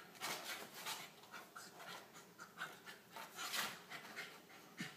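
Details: Corgi puppy Emrick panting while play-fighting with a small ferret named Shanny at about 01:30, after nearly an hour of play; quick breathy pants come roughly three per second, mixed with light rustling.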